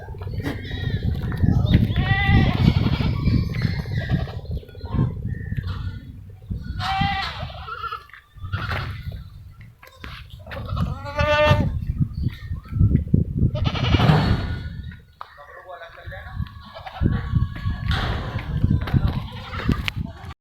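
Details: Barbari and Sirohi goats on an Indian goat farm, several quavering bleats spaced a few seconds apart over steady low rumbling noise and handling sounds.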